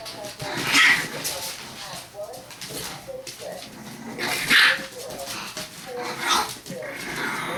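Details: Six-week-old English Bulldog puppies, a litter of four males and three females, give high, thin whimpers and yips among human voices.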